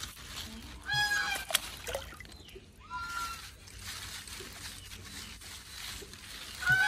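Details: A pet otter gives short, high, squeaky chirps and a drawn-out whining squeal after being petted, wanting a tasty fish, with some rustling.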